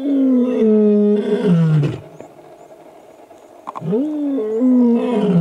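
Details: Lion (Panthera leo), roar: a male lion on an airstrip road at MalaMala Game Reserve, Africa, gives deep, drawn-out moaning roars that slide downward, then swell again after a pause; a male laying down a challenge to rival males.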